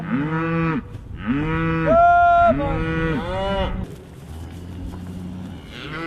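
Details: Cows with calves coming close to the calling farmer on a grass farm in the Crooked Run Valley, Virginia, in December; repeated arched moos from several animals overlap for four seconds, then fade to a faint low hum.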